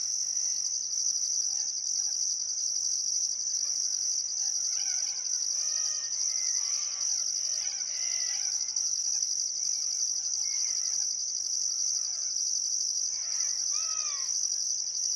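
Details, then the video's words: Sunset chorus of crickets beside the Barcoo River in Welford National Park, Outback Queensland, one still summer afternoon: an unbroken high ringing drone topped by rhythmic pulses, with slurred bird whistles surfacing around the middle and near the end. "Australian Sunset Chirping Crickets"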